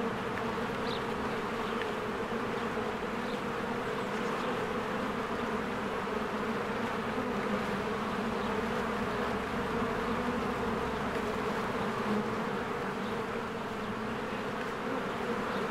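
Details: Spring hive of honeybees busily flying around their home. A full, steady buzzing hum runs without a break, with occasional faint high-pitched chirps above.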